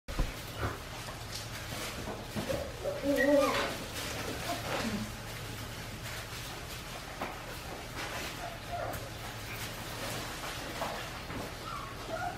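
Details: Australian Shepherd puppies, four weeks and five days old, on a baby cam in their pen. A few faint, thin whines with a tonal, harmonic quality come around the middle, over a steady low hum and soft rustling.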